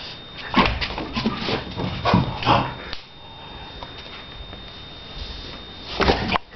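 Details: Playing Shar Pei called Donna giving a rapid series of short yips and barks in the first three seconds, a quiet pause, then one more loud burst near the end.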